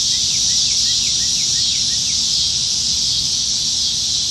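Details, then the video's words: Cicadas singing in the trees on a summer evening in Nebraska, July 2019, during the dog days of summer: a dense, steady, high buzzing chorus, with short repeated downslurred chirps from another caller beneath and a low rumble. "Summertime Evenings in Nebraska - Cicadas"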